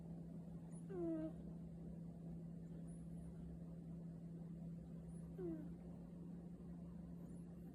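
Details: Snoring from a sleeping cat, two faint downward-sliding whistly squeaks on the breaths about four seconds apart, otherwise near silence with a constant low hum.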